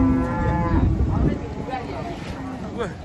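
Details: Cattle still agitated after being unloaded from a truck at an Indonesian market, giving a loud harmonic moo then shorter rising and falling moos, with voices and background rumble.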